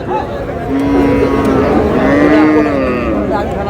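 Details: Friesian or cross-bred bull calf, about six to seven months old, at Raniganj cattle market in Dinajpur on 26 July, gives one long, steady, low moo lasting about three seconds, with men talking nearby.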